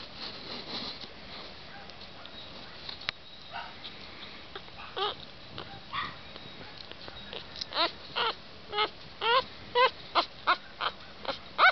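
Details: Havanese puppies for sale near Knoxville in East Tennessee, with a little black and white male in view. Soft, high, arched whimpers grow clearer and more frequent in the second half over low room noise, alongside faint human speech.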